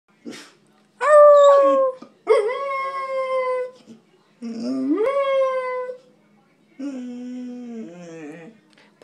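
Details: Pet dog, described as very talkative, howls in four drawn-out bursts, each swooping up then sliding down in pitch, with a quavering, wobbly final howl and short silences between.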